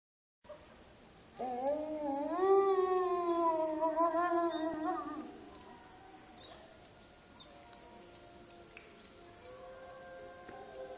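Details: Wolf howl recorded at Olomouc on 29 August 2013: one long, smooth howl begins low, swells and holds a steady, slightly wavering tone for about three and a half seconds, then fades, leaving faint background noise.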